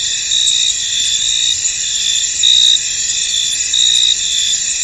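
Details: Crickets in a misty, foggy field, a dense continuous high-pitched chorus with overlapping trills and brief louder chirping bursts every second or so, steady throughout with no other clear sounds.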